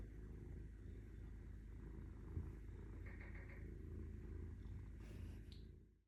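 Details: Melanistic black Bengal cat, apparently named Ender, purring softly: a steady, low, pulsing rumble held throughout, with brief faint higher rustles near the middle and toward the end.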